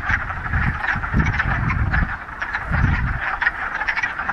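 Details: Frogs calling en masse in a Ramapo Mountains pond on the first warm spring day, middle of March, following a week of rain; dense chuckling croaks pulse on and off with patches of low-frequency rumble.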